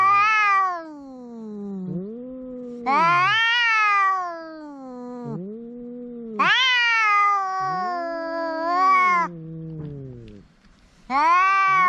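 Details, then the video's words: Cat making a big noise: long, drawn-out harmonic meows and wails, each one to three seconds, some loud and rising then falling, others softer and lower, following one another with brief gaps. "The cat is making a big noise"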